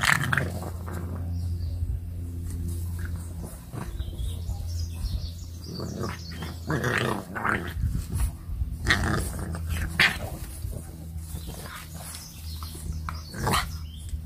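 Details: English Bulldog puppy, one of two FCI English Bulldogs raised in a home in Nairobi, Kenya, at play on a grassy knoll. It gives low rumbling growls and snorting grunts in irregular bursts over a steady low hum.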